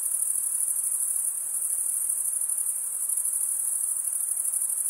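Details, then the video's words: High, continuous cricket chirping from stridulating males, rapid pulses about three per second riding on a steady shrill buzz, uninterrupted and free of other noise. "Most relaxing cricket sound for 8 hours"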